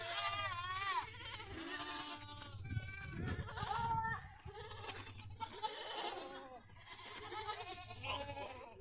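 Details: Several goats call together at a village goat farm near Pushkar in Rajasthan's Ajmer district, India. Their wavering, nasal bleats overlap and follow one another closely over a low hum and some farmyard thumps.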